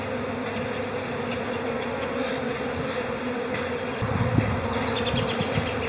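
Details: Calm spring honey bee colony in April humming steadily; a single bee's buzz swells nearby in the last two seconds over the constant background drone.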